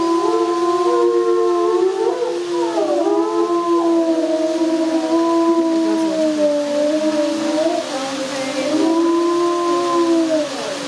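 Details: Several gray wolves at Erlebniszoo Hannover, Germany, howl together in long, smooth, overlapping tones that slowly rise and fall.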